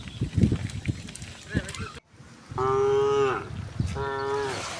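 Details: Cows being herded home to the pen along a quiet village road in the afternoon give two long, droning moos with a steady tone that sags at the end.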